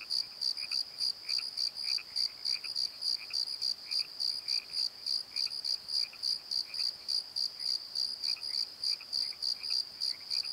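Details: Crickets chirping after dark in a valley bottom near a tree, rapid evenly spaced high pulses about three a second, while a lower, softer scratchy insect or croaking call repeats irregularly in the background.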